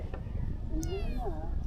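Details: Hungry stray kitten offered fresh-caught fish gives one short meow that rises and then falls, lasting about half a second, over a low background rumble with people talking nearby.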